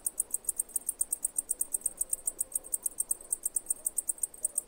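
A cicada calls with a fast, even train of shrill, clicking pulses, roughly ten per second. The sharp, high ticking holds the same pace throughout over a faint low background hum.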